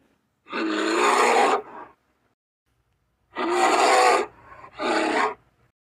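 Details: Asiatic black bear (Ursus thibetanus) gives harsh, raspy roars in three bursts, the first long, the last two shorter.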